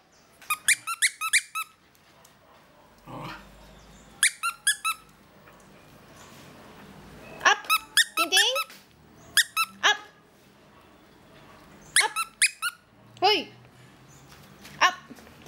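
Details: Wire-haired fox terrier kept as a pet, impatiently waiting for his toy: repeated bursts of piercing squeaks, each a rapid run of short descending cries, recurring every second or two over fifteen seconds, with faint low rumbling and soft room noise.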